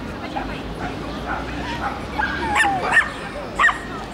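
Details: Shelties and papillons communicating: after a quiet start, a thin rising whine followed by three short, high yips about half a second apart near the end.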